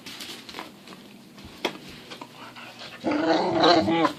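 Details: Pit bull making silly noises in the morning indoors: soft snuffling and breaths, then a loud, rising and falling grumbling moan with a rich, throaty, voice-like quality over the last second.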